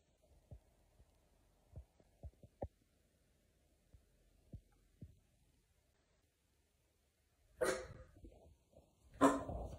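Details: Miniature Dachshund, a pet, in a funny dog compilation: several seconds of faint soft taps and near-quiet, then two loud, harsh, broadband barks about a second and a half apart near the end.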